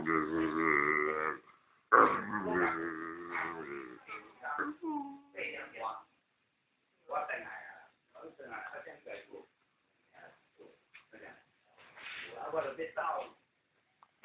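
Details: Labrador Retriever talking in its sleep, resembling a person snoring: drawn-out, moaning, voiced grumbles with wavering pitch, broken into irregular bursts separated by short silences, indoors.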